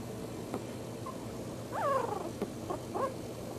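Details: Puppies about four weeks old; a single thin whine that jumps up then slides downward, followed by a couple of faint short squeaks over a quiet, hissy background.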